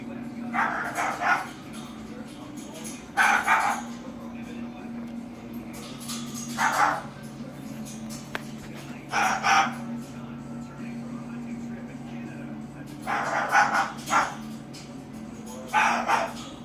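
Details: Repeated barking from Harley the dog, about six spaced barks, some doubled, against a persistent low hum.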